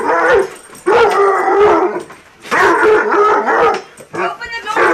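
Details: Coonhound confronting a raccoon, loud, drawn-out harmonic baying barks, about three long bawls in five seconds with short gaps, ending in a rougher, higher cry.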